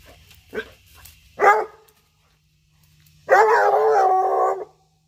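A Treeing Walker Coonhound gives two short barks, then a long drawn-out baying bark, inviting play.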